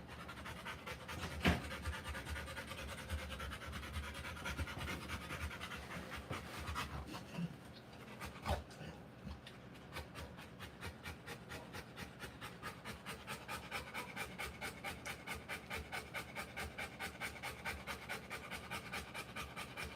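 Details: ['Rottweiler in labour during the live birth of her puppies; rapid breathy panting grows steady in the second half at roughly two breaths per second, after a noisier opening with a few thumps and handling sounds.']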